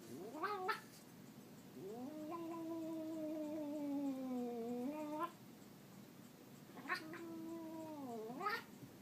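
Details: Pet cat making a loud, comical noise: a short yowl, then a sustained wavering howl lasting about three seconds that slowly sinks in pitch, and another rising-falling yowl near the end.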